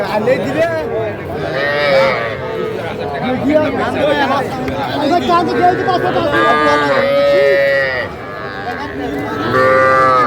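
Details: Small bull and heifer calves being bought at Aftabganj market in Dinajpur, Bangladesh, January 2025: several short, wavering moos, mostly in the middle and near the end, mix with constant buyers' talk and a loud crowd murmur.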